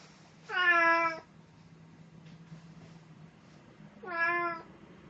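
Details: Pet cat in a Snow White costume, recorded on 1 April 2017, giving two clear harmonic meows about three seconds apart, each lasting under a second, against a quiet room with a faint low hum.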